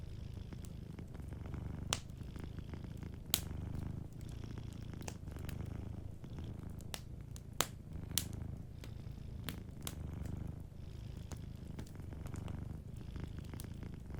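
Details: Soft, rumbling purr of a sleeping cat at a warm fireplace, rising and falling with each breath throughout, while frequent sharp crackles and pops of burning wood dot the background.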